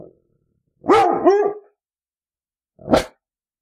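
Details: Labrador Retriever dog giving a drawn-out two-part yelping bark with clear harmonics, followed after a short silence by a single brief, sharp bark.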